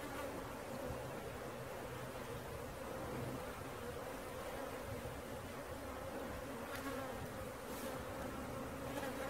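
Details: Honey bee swarm being caught, a dense steady buzzing drone that holds an even low hum throughout, with faint higher hiss above it.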